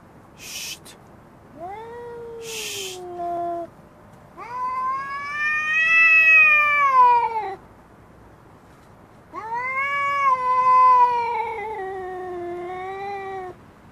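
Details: Female cat fighting for control of a garden chair: drawn-out, wailing harmonic yowls lasting two to four seconds, rising then sagging in pitch, with two brief hissing bursts at the start.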